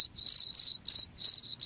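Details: Cricket trilling in brief clustered bursts: high, buzzy pulsed chirps running almost together with short gaps, clean and loud.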